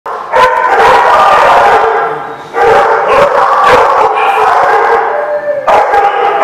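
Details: Many dogs howling and barking together on January 29, 2016, a dense, continuous wall of overlapping wavering tones with sharp bark onsets, easing briefly just before the midpoint and then swelling again.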